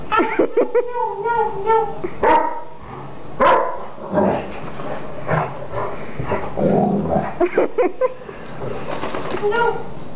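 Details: Greater Swiss Mountain Dog attacking, giving a run of short, harmonic barks and yips early on, then rougher barking later, with people talking throughout.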